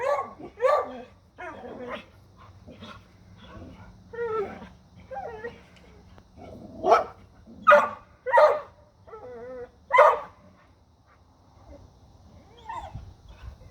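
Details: Dogs barking at a deer, mixing irregular sharp barks with higher whining and yelping notes, then a cluster of loud barks midway before the sound fades to quiet with a faint low hum.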